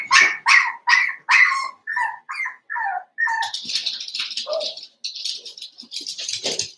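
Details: Five seven-week-old blenheim Cavalier King Charles Spaniel puppies in an indoor puppy pen; a run of loud, sharp yappy barks in quick succession, then higher squeaky yelps and whines overlapping with rustling.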